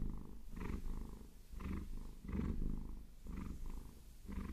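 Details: Purring Maine Coon cat, Vasilisa, enjoying a long-nail massage: deep, steady rumble pulsing in regular in-and-out breaths about once a second.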